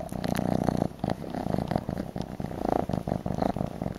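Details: Kitten that likes the shawl and yarn, wanting a bottle, gives a close, strong rumbling purr in quick breathy pulses, with rustling and light clicks.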